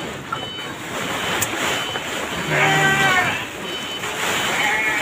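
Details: Goats held in a transit pen on Java while a courier team waits for a ship to South Kalimantan, delayed by bad weather; one wavering harmonic bleat lasting about half a second over steady hissing background noise and nearby talk.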